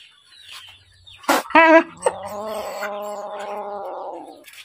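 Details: Hungry little kitten calling: a sharp harmonic cry followed by a drawn-out, steady meow that slowly falls and fades over about two seconds, with faint background rustling.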